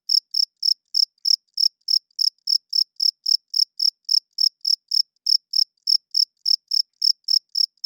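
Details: Night-time cricket chirps: bright, high, evenly spaced pulses, roughly three to four each second, continuing without pause against a silent background.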